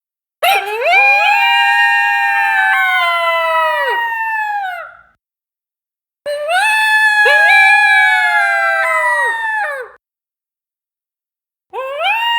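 Two coyotes howl together in long drawn-out bouts of four to five seconds, each voice swooping up and then sagging gradually lower. Between the howls the night falls quiet before the next chorus begins.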